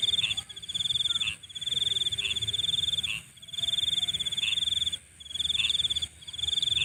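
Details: High-pitched pulsed insect trill at night, delivered in bursts of one to two seconds separated by short gaps. Rounded lower chirps sound at irregular intervals alongside it.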